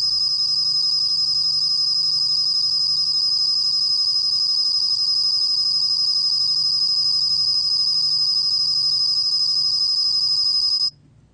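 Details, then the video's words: Bell cricket recorded for Korea's National Institute of Biological Resources in 2020. It makes a steady, high, ringing trill of very rapid pulses that runs unbroken for about eleven seconds, then stops abruptly into near silence. "곰방울벌레, 여러번 듣기, 곤충소리"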